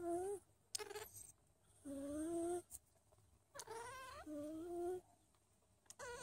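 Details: Don Sphynx kittens, a hairless Russian-origin breed, living as a family with their mother; a run of clear, slightly rising meows mixed with brief sharp squeaks, separated by short silences.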